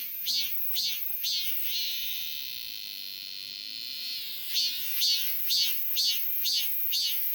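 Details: Summer song of a robust cicada, opening with rhythmic buzzy pulses about twice a second, easing into a long, even, high drone, then returning to strong repeated pulses.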